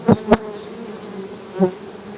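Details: Honey bee buzz swelling in three quick loud bursts, as if passing close, over a softer steady low hum in between.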